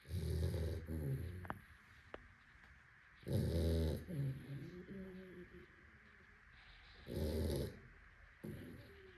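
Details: A sleeping Labrador Retriever snoring loudly: harsh, low, rattling snores with strong overtones, long breaths about every three to four seconds with softer wheezy sounds between, in a quiet indoor setting.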